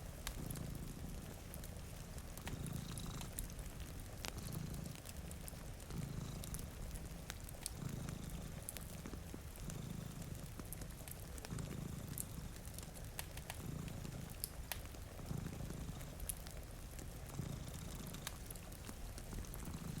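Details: Deep rhythmic purring from one of two cats dozing at a rainy window, rumbling breaths repeating every one to two seconds, with a crackling fire snapping and faint rain throughout.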